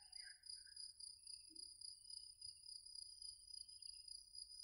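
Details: Cicadas giving a continuous high, shimmering buzz that pulses about three times a second, with a fainter higher band; a few soft chirps near the start.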